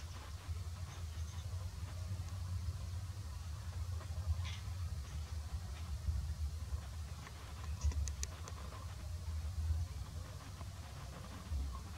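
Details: Only a steady low rumble, like distant traffic or wind, with a few faint clicks and no clear animal voice.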